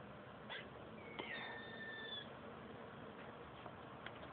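A squirrel makes a thin whistled note that slides slowly downward, like a falling bomb, between sharp little clicks.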